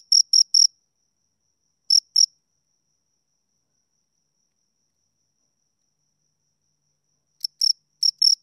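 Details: Crickets, two of them, heard at close range giving short bursts of two or three sharp, high chirps separated by long silences of up to five seconds; nothing else audible.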